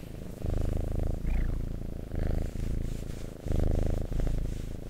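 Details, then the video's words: Domestic cat purring near the listener, a deep buzzing rumble in regular swelling phases, with a single faint high squeak just after the first second. "Purring Cat ASMR"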